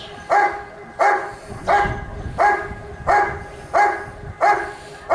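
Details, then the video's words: Rick vom Lindelbrunn, a Giant Schnauzer competing in a 2022 IGP trial in Russia, barks in a regular rhythm, seven sharp barks spaced about 0.7 seconds apart against low ambient rumble. "Rick vom Lindelbrunn (Riesenschnauzer)"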